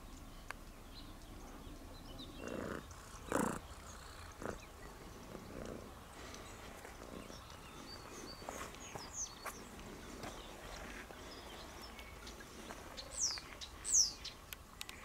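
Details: Friendly cat named Tutti Frutti, a patterned-coat visitor met on a trip to Sardinia and seeking attention, gives two short meows close together outdoors, with faint bird chirps and soft background noise between them.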